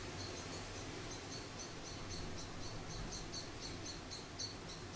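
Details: Orphaned week-old grey squirrel Charlie, being bottle-raised indoors after a fall from its nest, keeps up a quick run of soft, high chirping squeaks, about three to four per second, with low hum beneath.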